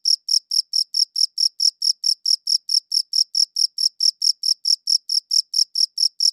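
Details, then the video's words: High-quality recording of crickets chirping: sharp, ringing high pulses repeated evenly about four times per second, nothing else audible. "Cricket Chirping Sounds"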